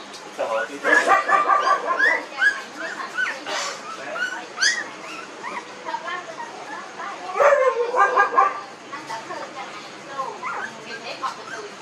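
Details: Newborn puppies, 19 days old, in a village, whining and yelping in short harmonic cries repeated several times a second, with a louder cluster near the middle and human voices mixed in.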